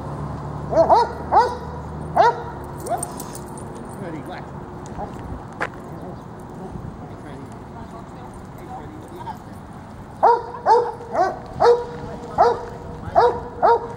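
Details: Dogs Freddie and Miley playing tug of war at Lakewood dog park; short sharp barks come in bursts, a few early, then a rapid run of repeated barks near the end, with background chatter between.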